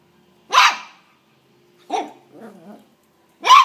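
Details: Pet dog barking while fighting a praying mantis: three sharp barks at about 0.5, 1.9 and 3.4 seconds, with a softer low growling rumble between the second and third.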